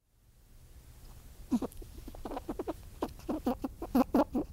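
A squirrel gives a quick, uneven run of short, harsh chucks and chattering notes.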